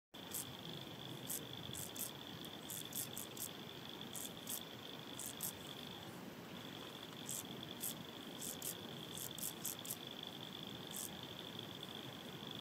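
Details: A common field grasshopper (Chorthippus brunneus) sings in short, dry, buzzy chirps repeated in loose bursts over a steady high whine.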